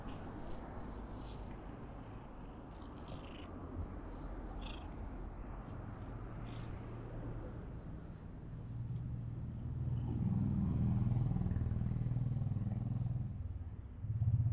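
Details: Kitten that badly wants to be stroked, a stray filmed on a GoPro: low steady rhythmic purring that swells louder in the second half, with a few faint higher squeaks and rustles early on.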